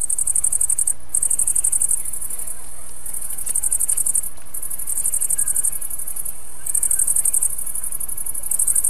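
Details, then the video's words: Singing tailed and green grasshoppers: rapid, sharp, high-pitched chirping phrases of about a second each, repeated with brief breaks, over a faint low hum. "Песни кузнечиков - хвостатого и зелёного"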